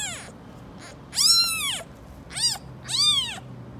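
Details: A mother cat and her kittens living on the street, the mother angrily protecting them: after a faint start, three loud, high, arched meows ring out with strong overtones, the middle one brief and clipped.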